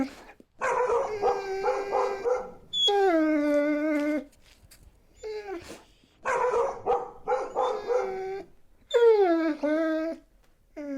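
A Siberian Husky gives drawn-out, wavering howls and talkative yodels, sliding in pitch between bursts.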